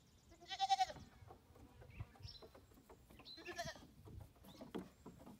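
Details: Young female goats on their new playground; two loud, vibrating harmonic bleats about three seconds apart, with a short bird whistle between and light hoof knocks.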